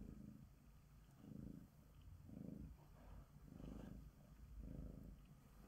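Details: Sonya, a female tabby Bengal cat, purrs while being groomed with a glove: a low, rumbling purr that swells and fades in even pulses about once a second, five pulses in a row.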